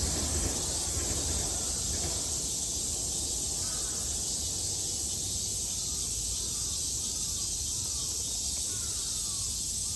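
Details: Cicadas in Japan in summer 2022: a steady, high, shrill buzzing drone that runs unbroken through the whole recording, with faint scattered calls of other animals beneath it.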